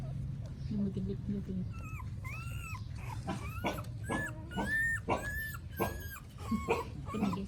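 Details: Newborn puppies in Cambodia, phone-recorded, crying loudly: drawn-out, high, arching whines, some bending up then down, repeated about once a second, with low murmuring and background hum.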